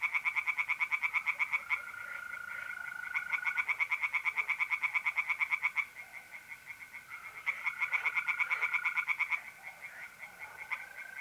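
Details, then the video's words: Night chorus of tree frogs in a north-east Italian pond in mid-April, fast clicking pulse trains in repeated bouts with short pauses, over a continuous smooth trilling of mole crickets. "relaxing singing tree frogs in pond and trilling mole crickets by night"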